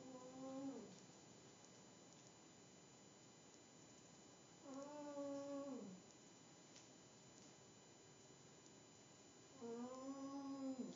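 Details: Pet cat asleep on a table indoors, snoring: three drawn-out, nasal, harmonic snores come at steady five-second intervals, each lasting about a second with a slight downward slide at the end. Quiet room between breaths.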